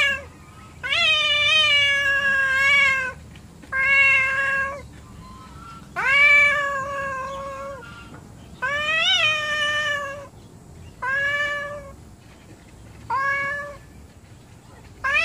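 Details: Angry house cats that do not get along, indoors; a string of about seven long, wavering, drawn-out yowls, some rising and falling in pitch, separated by short pauses over fifteen seconds.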